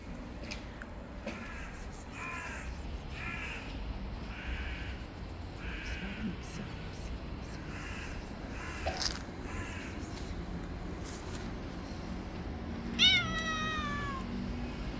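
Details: Male cat that bites a finger after being fed late: a run of short, harmonic, chirpy calls early on, then one louder drawn-out meow falling in pitch near the end, over steady background hiss.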